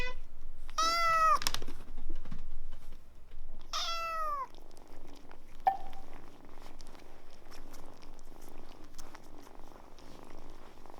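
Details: Kittens warming up to people quickly despite initial wariness; two loud harmonic meows near the start, each falling in pitch, followed by a brief short chirp and quieter low rumbling purr-like background for the rest.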